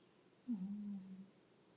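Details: An old English bulldog lets out a single low, droning snore that holds steady for nearly a second.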